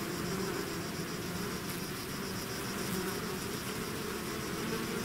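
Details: Bees swarming out of their hive produce a thick, unbroken drone, low humming bands layered under a hissy wash, with no other sounds breaking through.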